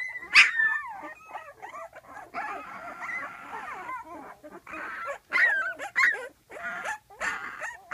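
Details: Litter of twelve-day-old puppies calling for their mother, who rests just outside the whelping box; overlapping high wavering whines, sharp yips and squeals from several pups, with a few brief pauses.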